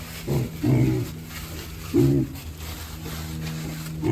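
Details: Piglets being moved outside from a barn for the first time, giving short low grunts in bursts of under half a second, three clustered calls over four seconds, with a steady low hum in the background.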